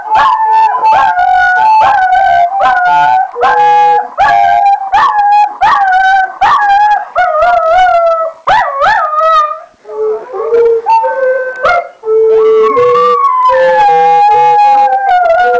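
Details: Morphy and Poppy, two pet dogs, sing along to a recorder: quivering, wavering howls rising and falling, broken by short yips and sharp gaps, with the recorder's steady notes weaving through.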